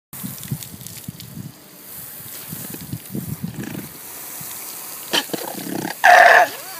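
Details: Displeased alpaca giving a guttural, growling grumble to signal exasperation to its neighbour: a run of low, rough, pulsing grunts over the first few seconds, then quieter rustling and a short, louder tonal cry near the end.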